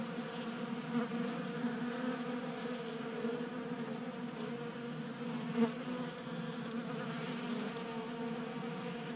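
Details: Honey bees feasting at a tabletop bee feeder in a garage in Colorado during a warm January spell, staying active in the late heat; a dense, steady many-bee drone with stacked humming tones, wavering slightly, with a brief louder buzz as one passes close.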